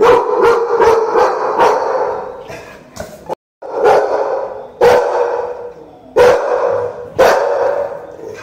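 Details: Two American Pit Bull Terriers barking: loud, rough barks in quick bursts, several close together at first, then single or paired barks spaced about a second apart, with a brief silent gap midway.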